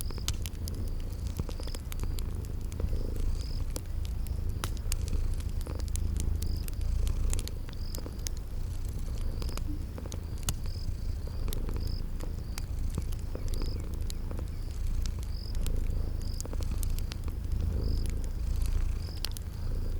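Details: Purring of sleeping cats by a crackling fireplace in a cozy spring garden setting; a steady low rumbling purr fills the bass, with faint regular high ticking and scattered crackles above.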